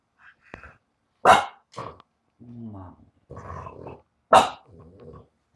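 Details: French Bulldog at home giving two sharp barks among softer grunts and growl-like sounds, with a person speaking encouragingly nearby.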